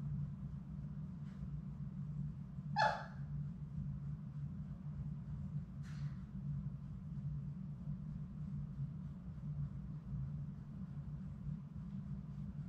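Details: Labrador Retriever puppies, a litter of six, playing in their play room: one short high yelp or bark stands out near the start, a fainter second yip follows a few seconds later, over a steady low hum.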